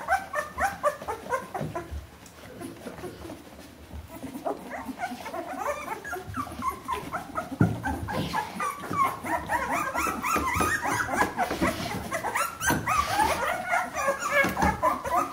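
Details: Two-week-old Bernese Mountain Dog puppies from one litter whining and squeaking in a dense, rapid chorus that grows busier and louder after the first few seconds.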